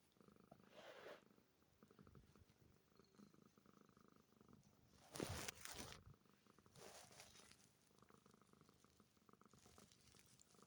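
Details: Cat purring while tucked under a blanket, steady quiet rhythmic vibration, broken by bursts of fabric rustle around the middle.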